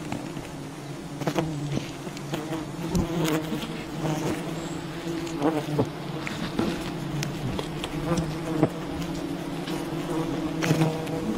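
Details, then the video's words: Buzzing of a wild bee colony at a honey hunt: continuous low drone with overlapping wingbeat harmonics, punctuated by frequent crackling taps and thuds. "Wild bee honey hunting"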